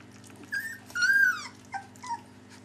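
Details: Whimpering from three-week-old puppies: a brief squeak, then a longer, louder whine that rises and falls, followed by two short falling squeaks, all high and tonal against a faint indoor hum.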